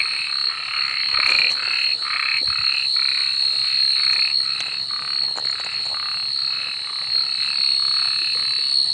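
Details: Frogs chorusing at night with rapid, repeated pulsed croaks about four per second, voices overlapping, beneath a persistent high-pitched droning hum.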